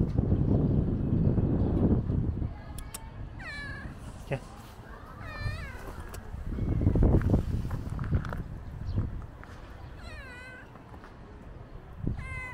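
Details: Stray adult gray cat resting with a kitten; several short rising-then-falling meows with clear harmonics, scattered through the middle and near the end, heard over loud, close human speech.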